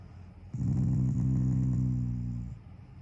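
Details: Pet Shiba Inu Taiga growls affectionately while lying down, not angry. One steady, low, harmonic growl lasting about two seconds, smooth and even in loudness, rising out of a quiet indoor hush.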